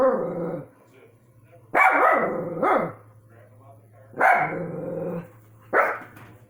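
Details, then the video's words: Household dogs barking at orbs, sending out deep, forceful barks, some drawn out and gruff, with long gaps between them and a constant low hum underneath. "My dogs barking at orbs"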